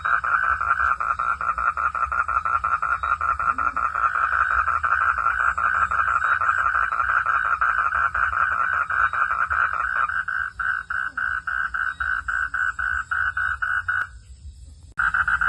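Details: A frog gives a rapid string of mid-pitched croaking pulses at night in a forest, against a faint high insect hum.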